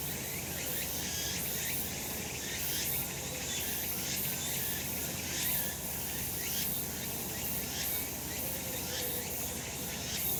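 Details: Cicada chorus on a summer mountain in sunshine: piercing, buzzy high drone rising and falling in regular beats around once a second, steady and layered from many insects.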